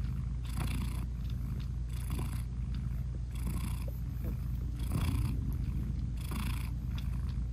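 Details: Purring British Shorthair mother cat with her tiny closed-eyed kittens while nursing; a constant throaty drone swells in five evenly spaced breathy pulses, quiet background.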